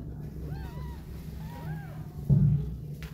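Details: Mother cat with her two kittens, feeding and cuddling them but wanting to go out, gives two short arched meows about a second apart over a steady low rumble, with a dull thump near the end.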